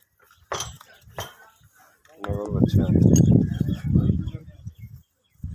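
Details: Nili-Ravi buffalo kept for sale in Pakistan gives a deep, harsh moo lasting nearly three seconds. It starts with a brief, clearer tone and then turns rough and low. Short voices and knocks are heard around it.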